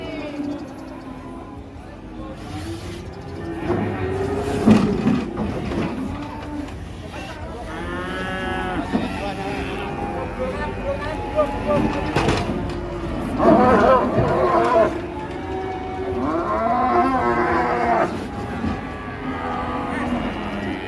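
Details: Agitated cattle in Indonesia, raging as they are unloaded from a truck, give a series of loud, harmonic-rich lowing moos of varying length, some rising and falling, amid people talking, shouts and background music.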